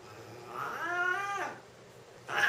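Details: Male Siamese cats, a lynx point about three years old and a young seal point, fighting or play-fighting at home: one long moaning yowl that climbs and then sags, followed by a short harsh hiss-like burst.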